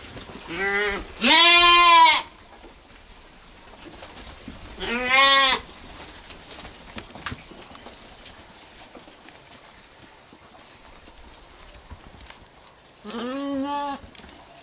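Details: Sheep or lambs bleating: four harmonic, wavering bleats in the first half, a short one, a long one and another near five seconds, then quiet before a final bleat near the end.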